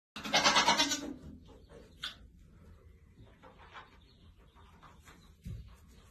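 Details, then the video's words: Baby domestic goat giving a loud, harsh, noisy cry lasting about a second, followed by faint scattered sounds and a short low thump near the end. "Baby Goat Cute Compilation | Kid sound effects"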